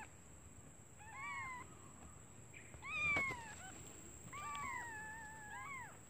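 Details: Hungry newborn kittens calling for their absent mother: a few drawn-out, wavering mews, some gliding downward, spaced by pauses, with faint rustling and a constant high-pitched whine underneath.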